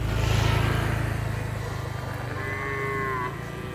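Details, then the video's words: Cattle herded free-range on green grass fields: a deep, low droning moo opens, followed later by a higher, drawn-out moo that slides gently downward, with faint music underneath. "Tame cow sounds and funny cow sounds"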